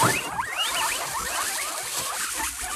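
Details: A domestic guinea pig wheeks, a series of quick, rising squealing whistles, to get people's attention and ask for food, often at feeding time when a bag rustles or a door opens.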